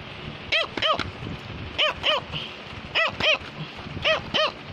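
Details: A Cavalier King Charles Spaniel, a toy dog breed, barks to tell its owner something. Short, bright yaps come in quick pairs, each rising then falling, about four bursts spaced across the recording over a low background hiss.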